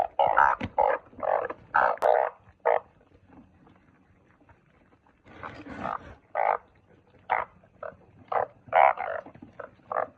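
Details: Burst of harsh, nasal croaks from truncate-snouted burrowing frogs, a quiet gap of about three seconds, then renewed short calls spaced roughly half a second apart.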